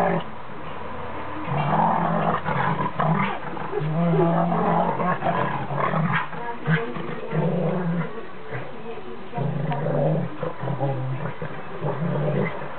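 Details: A 19-week-old Alaskan Malamute puppy plays with an adult Rottweiler. Deep, drawn-out growl-roars come in bursts of one to two seconds, with steady scuffling between them and faint voices in the background.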